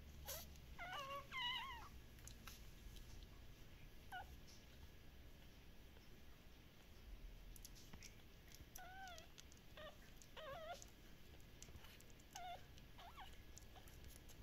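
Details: Shiba Inu puppies, described as very active, at a breeder in the Netherlands: faint high whimpers with bending pitch come in small bursts near the start and again after nine seconds, with clicks and a low hum.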